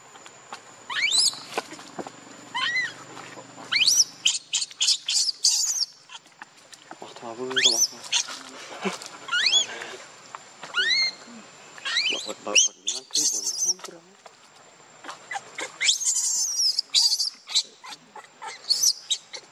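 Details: Leo, a hungry baby monkey, begs its mother for milk with a long run of piercing, rising cries and squeals, repeated in quick clusters, some harsh and screechy, with brief low murmurs in the pauses.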